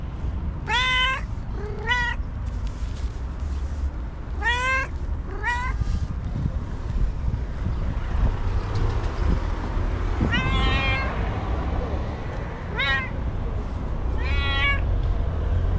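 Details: Screaming angry white cat gives repeated short, wavering yowls in pairs and clusters, some rising then falling, others shaky and pulsed, spread through the stretch above a continuous low street rumble.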